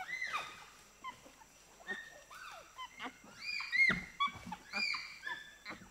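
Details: A group of four to six pygmy chimpanzees reacting to the presentation of sugar cane. Quieter, more widely spaced squeals sweep up and down, with a louder cluster of arching shrieks near the end.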